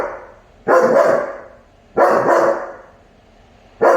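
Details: A German Shepherd puppy chasing a squirrel gives three loud, harsh barks, each drawn out and spaced about one and a quarter seconds apart, with quiet gaps between them.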